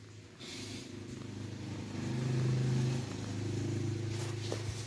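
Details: Cat purring in a steady low rumble that swells louder near the middle and holds for about five seconds, with faint background hiss.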